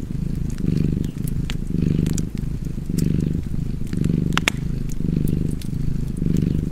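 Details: Relaxed cat purr with fireplace ambience: rhythmic low-pitched rumbling pulses in inhale-exhale pairs, about one per second, with sharp crackling and popping of burning logs layered on top.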